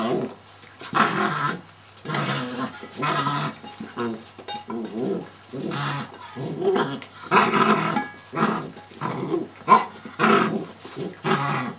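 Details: Male Shetland Sheepdog giving a steady run of growly barks and vocal bursts, roughly one each second, indoors, over a faint constant hum.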